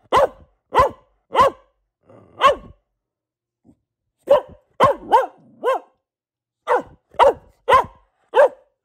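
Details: Household female Boxer delivers bursts of sharp barks in three clusters separated by short silences, each bark quickly rising and falling, some doubled closely together, indoors with little background noise.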